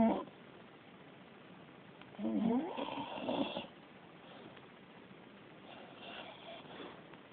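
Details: Beagle snoring while asleep: one longer rasping, voiced snore in the middle, then softer, fainter breathing snores trailing off in a quiet indoor setting.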